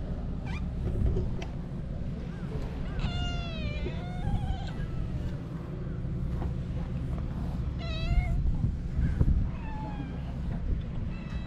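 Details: Feral cats crowding around a bench on a Japanese cat island, recorded with a GoPro; several drawn-out, harmonic meows that bend downward in pitch, heard around three and eight seconds, with softer mews between, over steady low wind rumble.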